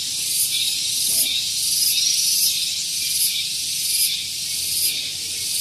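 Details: Cicadas at Gunung Geulis, Bogor, West Java, singing in the morning near a parking area. A loud, high, sizzling buzz rises in brief surges roughly every 0.7 seconds over a constant drone.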